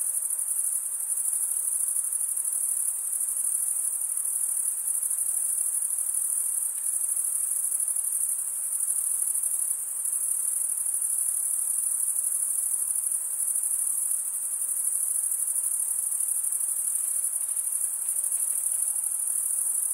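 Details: Chorus of crickets, males stridulating with comb-like wing teeth, sustains a piercing high continuous trill, nearly unchanging in loudness, with brief slight dips and a quiet hiss underneath.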